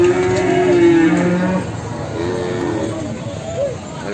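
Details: Large Simmental cattle lowing at the Sragen livestock market, opening with a strong, steady moo that falls off after about a second and a half, followed by quieter, wavering moos among market chatter.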